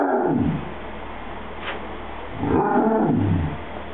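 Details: A happy Basset Hound trying to tell its owner something gives a brief moaning sound at the start. After a quiet stretch it makes a longer, grumbling, talk-like vocalization with wavering, falling pitch.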